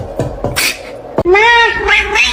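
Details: Domestic cat, a kitten, meowing indoors: a single clear meow that rises and then falls, heard after some thumps and muffled background noise.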